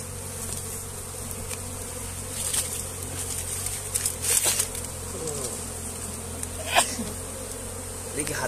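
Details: Steady droning buzz of many honey bees at a comb being moved by hand, with intermittent clicks, rustles and a few soft voices from people handling the bees.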